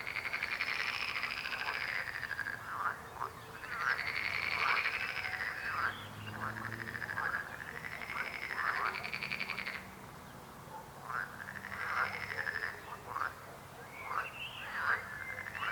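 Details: Chorus of croaking frogs: rasping, pulsed trills come in loud bursts a few seconds long, with overlapping callers and a short lull near the middle before the calling resumes.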